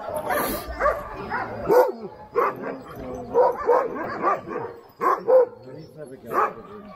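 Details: Sled dogs of the Alaskan Husky type at Snowhook Adventures, Willow, Alaska, giving scattered loud barks in short clusters, with human voices in between.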